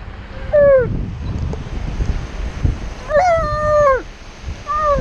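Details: On the beach, Tonka the Alaskan Malamute protests sitting still with three howls: a short falling one, a long level wail that drops at the end, then another brief rising cry. Waves murmur underneath.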